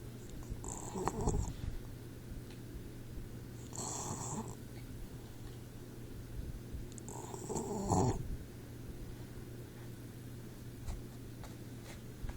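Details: Troy, a 4-month-old Boxer pup asleep, snores and wheezes: breathy, hissing snores with a low rumble, three of them roughly every three and a half seconds, over a constant low electrical hum indoors.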